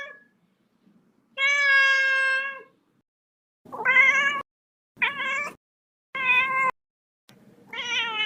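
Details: Kitten meowing in repeated bursts: one long steady meow followed by four shorter, slightly rising meows, rich in harmonics, with brief silences between them.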